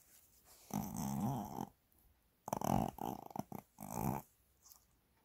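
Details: Shih Tzu Mini, a pet dog loving a massage, filmed 30 January 2022: three drawn-out, grumbling growl-like moans about a second each, with wavering tone, in a quiet indoor room.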